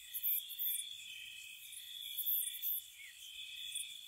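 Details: Gentle crickets on a spring night at a cottage: a constant shrill buzz with a few louder, clipped chirp pulses near the start and middle.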